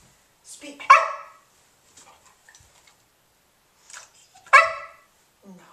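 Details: Remington, a 5½-month-old English Springer Spaniel puppy, barks indoors on the command "speak" while learning the trick; two short, sharp barks about three and a half seconds apart, each preceded by a quiet spoken cue.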